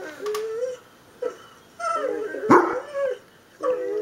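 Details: Pet Dobermann howling in reaction to a played recording of another dog crying, with a small bichon–shih tzu cross joining in. Short, wavering, mid-pitched howls and yips come in broken bursts, separated by brief pauses.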